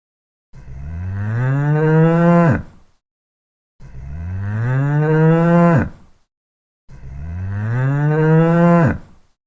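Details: Cow mooing, three long low moos each about two seconds, rising slightly then dropping sharply at the end, with short silent gaps between them.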